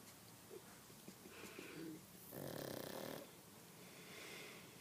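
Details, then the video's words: Sleeping pug giving soft wheezy snores: faint whistling breaths at first, then one louder rough rasping snore lasting about a second, followed by a quieter hissing exhale. "Pug snoring"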